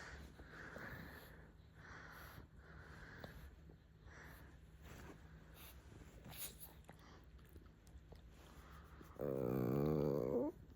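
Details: Bowser, a pet pug, yawning on a sleepy morning: snuffly, rhythmic nasal breathing, then a loud, wavering, whiny yawn lasting about a second and a half at the end.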